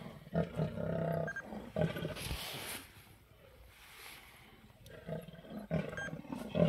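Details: Two wild lionesses snarl while they climb a tree and fight a male leopard over his kill at Sabi Sand Nature Reserve. Deep, rough growling roars come in bursts at the start, briefly in the middle and again near the end, with rustling between.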